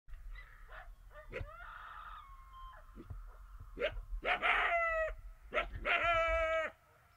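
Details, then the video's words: Coyote close by at five yards, giving a run of short yips that build into loud, wavering harmonic howls, some rising and then falling, with the strongest howls near the end over a low rumbling background. "Coyote at 5 yards!!!"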